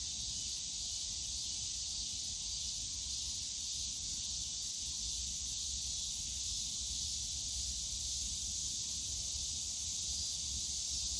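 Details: Summer cicada chorus in the bamboo forest at Yongsan Family Park, a continuous dense hissing buzz holding level throughout, over a low murmur of park noise.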